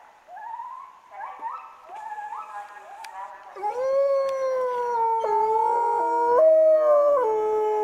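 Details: Three captive wolves at Asahiyama Zoo in Hokkaido, Japan, howling after the morning zoo announcement, filmed on a Nikon COOLPIX B500: short stepped rising tones at first, then loud sustained howls from several voices sliding and overlapping for the last four seconds.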